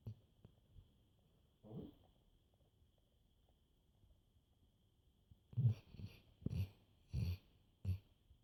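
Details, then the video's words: Sleeping black Labrador snores; one soft rasping breath early, then after a quiet stretch a run of four to five louder, rough low snorts close together, over a faint constant electrical hum. "Snoring black labrador"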